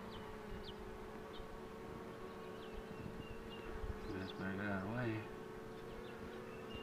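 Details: Honey bees droning steadily around a queen box being pulled, a low layered buzz; a brief voice-like sound rises near the end, and a few faint high chirps appear.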